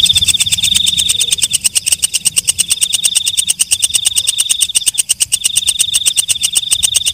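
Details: After dark a walang kecek katydid keeps up a shrill, fast-pulsed buzzing trill with a sustained high tone, its loudness swelling and dipping in rapid beats, briefly softer midway before returning strongly.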